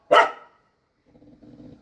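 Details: Pet dog barking at a leafy-greens vendor, having lost its earlier fear of him: one loud, sharp bark, followed after a pause by soft, low murmuring voices.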